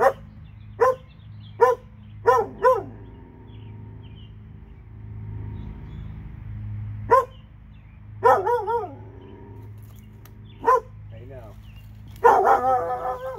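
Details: Dogs in Alabama, two of them, barking in short sharp bursts: a quick run of four barks, a pause with low hum, then a few more barks and a rapid cluster near the end.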